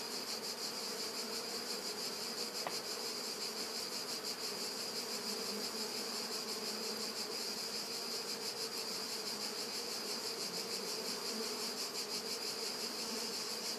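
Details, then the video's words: Bees drinking in summer, August 2013: a steady, unbroken buzzing hum with low droning tones, under a dense, constant high-pitched hiss with a faint rapid pulse, possibly other insects, running throughout. "Api che bevano"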